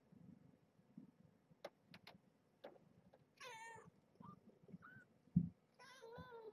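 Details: Marge's small kittens at evening play time, picked up and rolled in hands, hissing at times: two high, wavering, harmonic mewing cries, the second longer, over low rumbling handling noise and short knocks.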